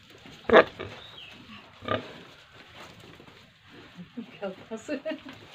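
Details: Pigs and piglets on a farm in Tripura, around feeding time: a few loud grunting bursts early on, then a quick run of short, harmonic grunts near the end, with human voices mixed in.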